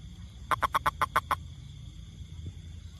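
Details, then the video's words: Toad, also tagged as a rainfrog, producing one tight burst of seven short, evenly spaced croaking pulses, then falling quiet; low background murmur and a thin steady high tone run throughout. "Wonderfull Sound #toad"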